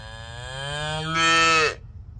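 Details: A very young bovine, called both a little cow and a bull, lowing once for under two seconds: a low, even moo that swells louder and brighter in its second half before breaking off, over a faint background rumble.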